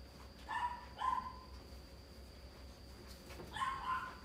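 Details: Red male Toy Poodle, born 11 March 2019, at the coo&riku pet shop, gives three short, high-pitched yapping barks: two in quick succession, then a third after a pause of about two seconds, over a faint steady hum.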